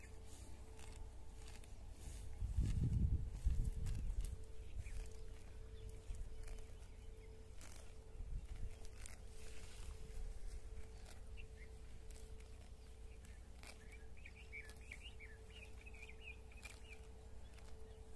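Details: Cows graze at a village house, with repeated tearing and crunching of grass, a low snort early on and birds chirping later.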